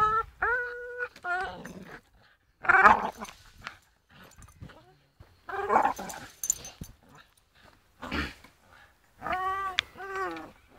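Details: Swinging from a rope, Staffordshire Bull Terrier Charlie makes drawn-out tonal whines, some held steady and others quivering, alternating with breathy, noisy grunts and short pauses.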